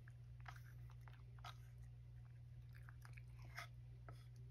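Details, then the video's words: Male rescue cat Sacchan at breakfast, biting and crunching kibble in sharp separate snaps roughly every half second, against a steady low background hum indoors. "朝ごはん.. おばあちゃんがいなくても、しっかり食べて.. 追加も食べて"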